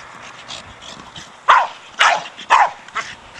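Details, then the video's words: Four-year-old Staffie Brogan at play with a large hard plastic ball, giving three strong barks about half a second apart after a quieter opening, with faint breathy sounds between. "Staffordshire Bull Terrier Brogan with his ball."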